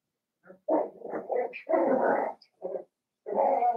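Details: Cavalier King Charles Spaniel puppies, blenheim, seven weeks old, five littermates in an indoor pen; rough, rumbling play growls in long connected stretches broken by brief yaps, with a squeaky whimper in between.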